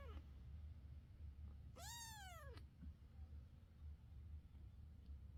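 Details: Domestic cat, a mother with her kittens, giving one clear meow: a single tonal, arched call that rises and then falls, lasting under a second, over a quiet background with a low steady hum.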